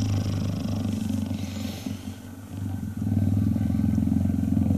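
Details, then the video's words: Low rhythmic purring from a cheetah being cuddled, the pulsing rumble dipping quieter in the middle before returning strongly; brief soft hissy noise near the start. "Cheetah Cuddling & Purring"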